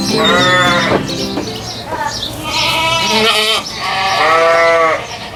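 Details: Goat on a farm giving a run of loud, wavering bleats, each rising then falling in pitch, three or four drawn-out cries over five seconds with little pause between them.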